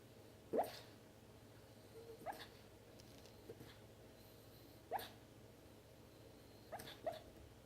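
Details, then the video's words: A small pet dog with hiccups: short, sharp, quiet hiccup bursts spaced roughly two seconds apart, five in all, with the last two close together, over a faint steady background hum. "Dog with hiccups"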